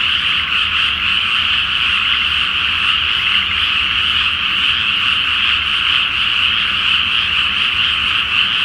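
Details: Great nighttime chorus of frogs in a rice paddy flooded before planting, under a full flower moon; a sustained, loud blend of many croaking voices with slight rhythmic flickers and a low faint hum beneath.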